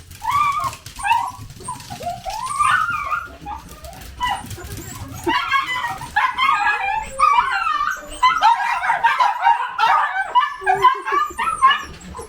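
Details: Miniature dachshund at home among a family of several pet dogs: continuous high, wavering whimpers and yelping whines, rising and falling in pitch, with a few short yips, with no pauses.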